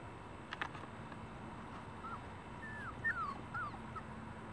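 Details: Puppies whimpering and squeaking: thin high whines sliding down in short curved notes, several overlapping in the final two seconds, over a low steady hum and a faint constant high-pitched tone.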